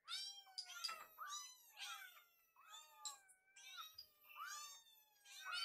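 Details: Hungry rescued kittens assembled in the kitchen before feeding cry almost continuously: dense, overlapping high meows with rising and falling pitch from several kittens at once, barely pausing, with a faint thud in between.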